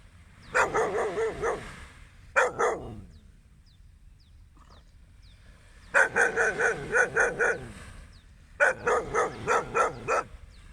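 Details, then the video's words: A dog on a beach at sunrise gives loud, quick runs of barks: a long burst, a short pair, then two more bursts of five or six barks after a silent gap, over low background rumble. "magnifient sunrise, beachwalk and a barking of a dog"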